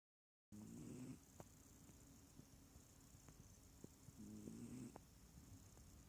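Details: Small cat snoring, not purring: two tonal, wavering breaths about three seconds apart, each roughly half a second long, over a steady low hum.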